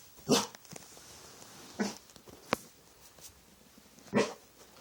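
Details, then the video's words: Dog late at night, making weird sounds at nothing: three gruff, throaty barks spaced about one and a half to two seconds apart, with a sharp click between them. "Weird dog sounds"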